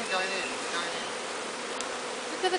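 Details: Bees of a captured swarm being walked into a new hive, comb already built in the box; continuous buzzing drone with a brief voice and light handling sounds.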